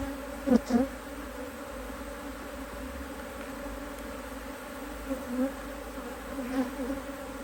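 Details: Honey bees at an Australian-designed HiveIQ hive, opened in Australia near mid-Autumn 2023 to add a box of empty frames during fine weather. A steady low hum throughout, with close buzzing bees swelling loudly near the start and again toward the end.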